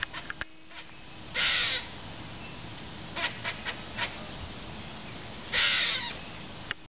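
A squirrel gives two harsh, raspy bursts among scattered short, dry chucks and clicks.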